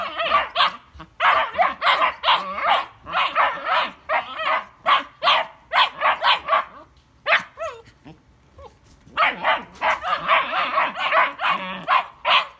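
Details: Several German Shepherd puppies arguing, letting out dense, overlapping high-pitched barks and yelps in quick runs, with brief whining slides during a lull midway before the chorus of yapping resumes.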